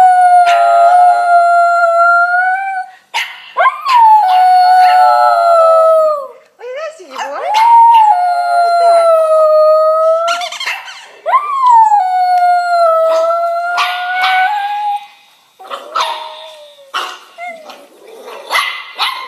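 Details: Pet Jack Russell Terrier Ziggy responding to a recording of himself as a puppy with a series of long, wavering howls, each rising then sagging, separated by brief gaps and yips, with faint human voices.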